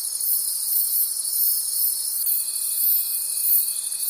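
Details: A nocturnal forest chorus of crickets, rapid high pulsing trills blending into a continuous shimmer, joined about halfway through by a single sustained pure-sounding tone.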